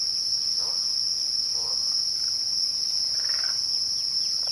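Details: Twilight crickets hold a dense, level high-pitched trill. Only faint, brief bird notes sound in the background.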